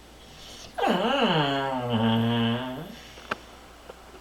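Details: Bullmastiff puppy indoors, making human-like noises because the cat is sitting with his toy and he is afraid to take it. A single low, harmonic moan wavers and bends for about two seconds in a quiet small room, with a click afterward.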